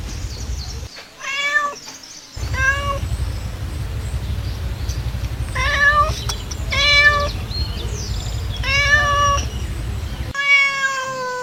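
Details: Cat meows played to attract cats: a series of about six drawn-out, wavering meows with bright harmonics, some rising then falling, over a steady low background hum.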